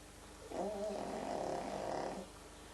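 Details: Frank the pug snores in his sleep: a single rough, vibrating inhale lasting under two seconds, throaty and steady, against a faint background hum.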